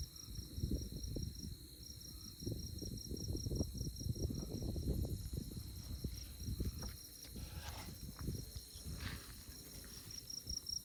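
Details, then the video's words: Insects chirping on a moonlit night in the tallgrass of Konza Prairie, near Manhattan, Kansas: a steady, high, rapidly pulsed trill runs throughout, partly masked by loud gusty low wind rumble. "Insect Chirping Sounds"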